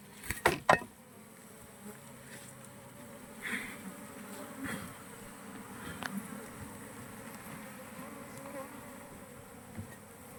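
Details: Continuous low drone of honey bees around a bee box while honey is harvested, broken by sharp clacks and knocks of handling near the start and a few softer taps later.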